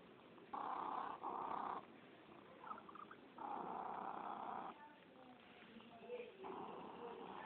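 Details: Purring cat, heard as a low buzzing drone that alternates between stronger and softer phases in a slow breathing rhythm, with faint clicks in the quieter parts.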